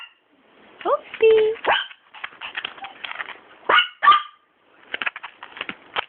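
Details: Papillon puppy named Hoppy, 42 days old, exploring a room indoors and curious about everything; thin, high whines slide up and down, followed by a few short, sharp yips, with a person's voice talking over them.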